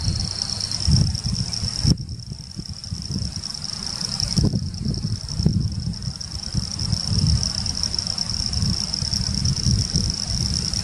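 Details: Frogs (Pseudopaludicola falcipes and Elachistocleis bicolor) near Laguna Garzón, Maldonado, Uruguay, December 2019: a continuous high, even buzzing chorus runs throughout, with heavy low wind rumble and brief handling knocks around two, four and five seconds.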